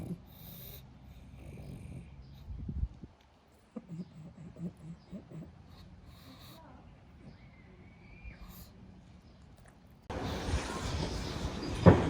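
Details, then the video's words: A pug sleeping and napping after a bout of play snores in low, rough breaths, the first few seconds thick with rumbling inhalations, then softer snuffles, before a sudden wash of steady broadband noise takes over near the end. "pug naps, snores, snorts"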